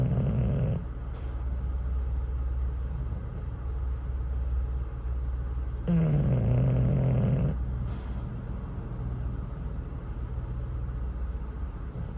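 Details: Cruz, an English Bulldog from Thunder Bay, Ontario, snores at a truck stop after wearing himself out with a campfire toy. A short tail of one snore is followed later by a full, low, rasping snore, over an idling-engine hum and brake hisses.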